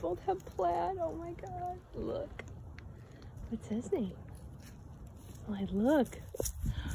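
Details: Scottish Terrier named Malloy singing: a string of bent, arching howls and yodel-like wavers, quiet gaps between phrases, then several rising-falling arcs near the end.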